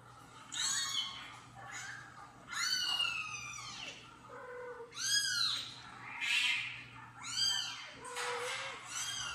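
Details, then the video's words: Kitten meows played from a phone indoors while a mother cat, washing her kitten, reacts; a rapid string of high, thin, arching meows, roughly one per second, some overlapping, over a faint steady hum. "Mother cat heard kitten meow on the phone for the first time"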